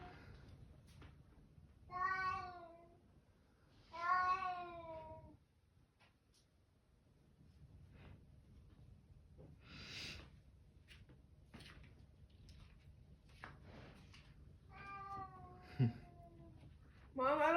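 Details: Two loud, long, wavering meows from a Bengal cat inside a quiet room, followed by softer scattered sounds and a final rising meow cut off at the end.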